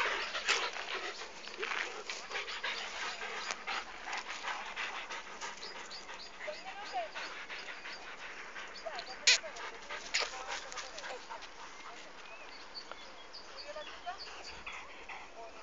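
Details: Podenco playing with other dogs: rapid broadband scuffling bursts with panting and soft whimpers, occasional sharper yelps near the start and middle, faint human voices in the background.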